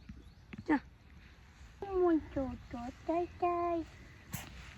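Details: Goats on a farm where two of them have just given birth. A run of five short, harmonic bleats, some dropping in pitch and others held level, follows one brief earlier call. Voices and laughter are close by.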